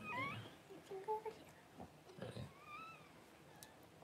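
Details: Newborn Cavalier King Charles Spaniel puppies squeal as their mother Paris gives birth: a sharp rising cry opens, then shorter yelps and a drawn-out, slightly bending whine, with soft rustles and low voices.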